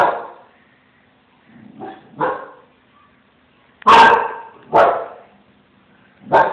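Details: Small Münsterländer Branco reacting to a cat with a series of barks: a few softer yips, then three loud harsh barks close together and another at the end, low whining murmurs in the gaps.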